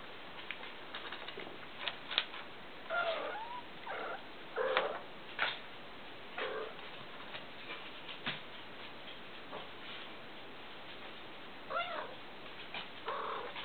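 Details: Spayed young female kitten, a former stray, indoors on a farm and trying to steal food from a newly rescued male kitten: scattered short wavering meow-like calls and brief bent cries, with soft rustling between them.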